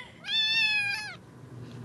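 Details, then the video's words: Small female kitten in a room giving a single clear meow, steady and harmonic-rich, lasting almost a second and falling slightly at the end, followed by quiet. "Meowing kitten"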